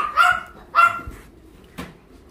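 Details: Dog at an animal welfare centre in Ulsan, South Korea, during weekend volunteer work: two loud, full barks about half a second apart, then a brief dull knock.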